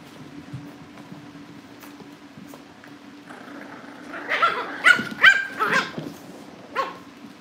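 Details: Cavalier King Charles Spaniel puppies livestreamed from a family home as they are readied for pick-up by new families; after a quiet start comes a burst of high yipping barks and whines, then one last yip, over a steady low hum.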